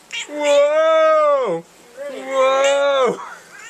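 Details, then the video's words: A female house cat in a drawer of black umbrella nylon gives two long, loud, steady meows, each held over a second before dropping off sharply at the end, with a short pause between them. "Rhoda the Vocal Cat"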